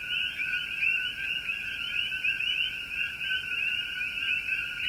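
A continuous, high-pitched frog trill fills the whole recording, shimmering and slightly pulsing with no pauses. Nothing else stands out beyond a faint low background hiss.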